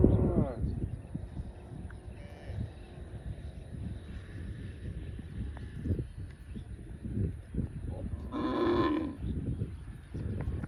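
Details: Cow grazing in a field gives one short, rich, harmonic moo near the end, rising above a constant low rumble of munching and field noise. A brief tonal sound opens the stretch.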